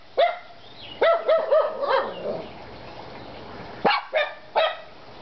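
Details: Three pet dogs barking: sharp harmonic barks in a quick burst near the start, then whiny yelping notes, and after a pause three more loud barks close together.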